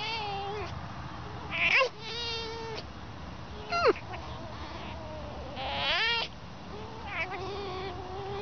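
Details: Fox, likened to a dolphin for its voice, giving a series of high, tonal whining calls with sharp rising and falling squeaks, separated by short pauses, over a faint low background hum.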